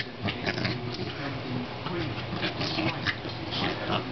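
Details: A corgi makes a run of grumbling, whiny vocal noises while attacking an air pump, over a steady hiss.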